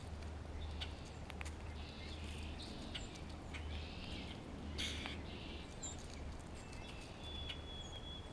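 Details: Grey squirrel in spring communicating with another squirrel and responding to a hawk close by, giving a series of raspy, buzzy bursts with short gaps between them. Faint high bird chirps are heard over a steady low outdoor rumble.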